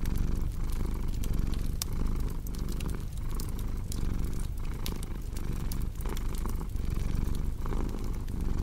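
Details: Domestic cat purring steadily, a low continuous rumble pulsing with each breath roughly every second and a half, mixed with the sharp pops and snaps of a crackling fireplace.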